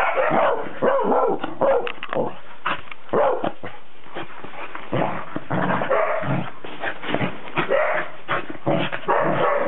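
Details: Cardigan Welsh Corgi on 19 December 2008 barking in quick clusters, short punchy woofs mixed with higher yips, brief lulls between flurries.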